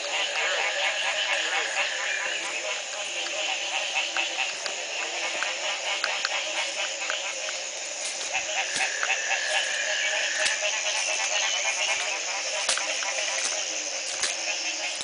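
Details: Frogs calling in Belize at the Community Baboon Sanctuary in 2010, the morning after a single night of rain ended a three-month drought; a dense, overlapping chorus of rapid pulsed croaks and high buzzy trills fills the whole stretch.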